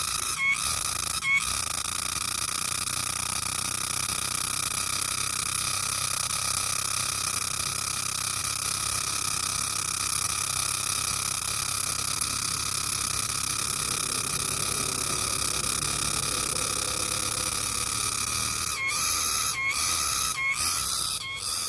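A green cicada gives a loud, steady, high-pitched buzzing drone that hardly wavers.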